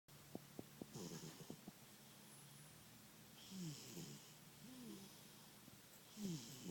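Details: Milo, a sleeping cat that snores really loudly, breathing in soft rasping snores with low rattling tones. The snores return about every two and a half seconds, with quiet pauses between breaths.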